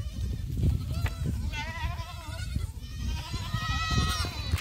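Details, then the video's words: Black goat kids running on a Gimhae farm in South Korea in July; soft, trembling bleats from several animals over strong low rumbling and thumping noise. "흑염소 새끼들 질주본능"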